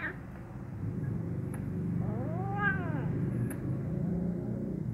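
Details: Hungry kitten eating beside a black male cat; one arched meow, rising then falling, lasts under a second against a steady low engine rumble and a few faint clicks.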